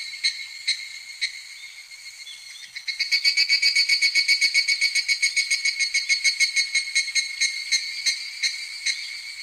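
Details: Evening cicada in midsummer: a few scattered, ringing clicks over a faint hum, then a swelling burst of rapid, bright, evenly pulsed notes, roughly four per second, continuing to the end.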